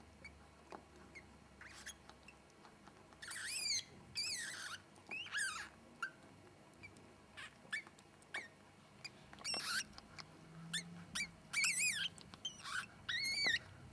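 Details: Newborn ferret kits, all sable, blind with sealed eyes and hairless, just born and being cleaned by their mother, give thin, high squeaks in short bursts, some rising and wavering.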